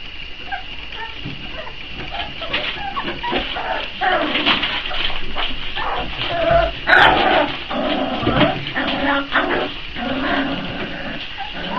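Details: Four-week-old Boxer puppies waiting for feeding time, a litter whimpering and yipping in overlapping high whines, some rising and falling, over a steady noisy background with clicks and shuffling.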